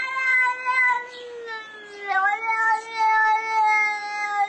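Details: A yelling cat gives a chain of drawn-out wavering meows, loud and nasal, each flowing into the next with brief dips, a little music faintly underneath.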